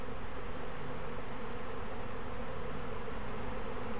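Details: Second swarm of bees within a week, heard close beside a box: a constant deep hum of many wings, dense and unchanging from start to finish.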